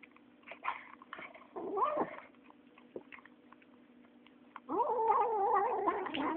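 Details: A 9-week-old female kitten eating, giving a wavering, whining growl near 2 s and a longer, louder warbling yowl from about 4.7 s, with faint clicks of chewing between.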